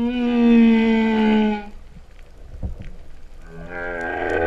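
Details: Underwater humpback whale song at Vava'u, Kingdom of Tonga, in September 2015: a sustained high tonal note with stacked harmonics lasting under two seconds, a quiet gap with faint clicks, then a buzzy moan begins.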